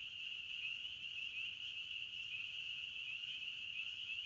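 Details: Forest crickets in chorus, a continuous shrill trill at one high pitch that barely wavers in loudness throughout, over a soft low hiss.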